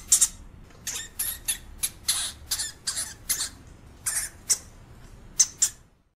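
A European hamster gives a rapid, irregular series of short, harsh, hissing squeaks.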